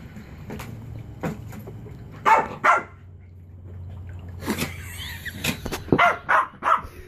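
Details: Chihuahua Beau, a household dog after his favorite frisbee stuck on a chair, lets out a few scattered sharp barks amid scuffling and a clattering noise, ending with a quick run of yaps.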